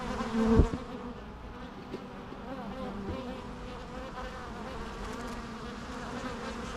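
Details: Natural bee sounds: a close bee buzzes loudly past in the first second, then a steady, even hum of many bees continues with faint harmonic overtones.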